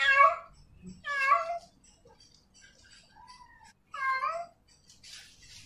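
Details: A female cat in heat calls to a male with three loud, wavering harmonic meows separated by quieter soft mews and brief faint noises.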